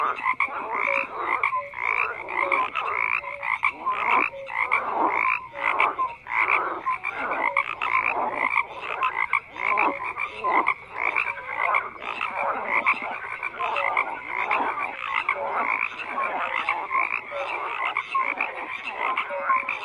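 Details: Continuous frog chorus with rapid rasping croaks packed tightly together and occasional short tonal notes, a busy unbroken wall of calling.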